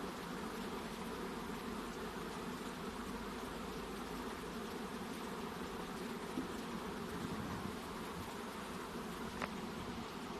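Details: Many honey bees droning around a hive box during the queen's exit, a thick continuous hum with soft flutters, plus a sharp faint tick near the end.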